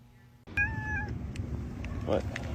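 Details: A domestic cat gives a single short, steady, slightly falling meow lasting about half a second over a low rumbling background, followed by faint clicks and a brief soft sound.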